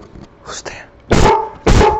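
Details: A pet dog barks at nobody, giving two sharp, loud barks in quick succession after a softer hissing sound; a person then says there is nobody there.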